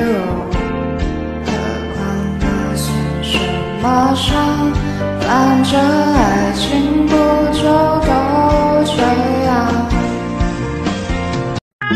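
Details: Upbeat music with a singing voice and steady instrumental backing plays throughout, with no animal sound.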